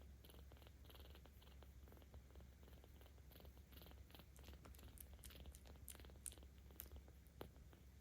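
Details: Aochan, a 17-day-old kitten at a cat volunteer shelter in Tama City, Tokyo, recorded 10 October 2022, purrs continuously under petting, a low, even rumble over eight seconds, overlaid with light scratchy handling noises and occasional sharp ticks.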